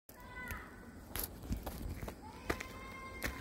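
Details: A Pomeranian in autumn gives thin, high whines that rise and fall, with footsteps and clicks around it.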